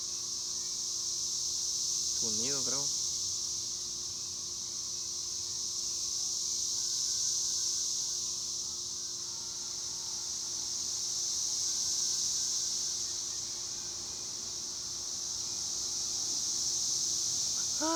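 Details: Cicadas keep up a dense high buzzing drone that slowly pulses louder and softer. A person speaks briefly near the start and again at the end.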